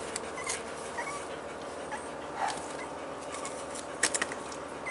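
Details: Staffordshire Bull Terrier puppies only four weeks old, from a kennel's 39th litter, recorded on 19 March 2020: faint, scattered high whimpers and squeaks over a steady hiss, with a few sharper clicks near the end.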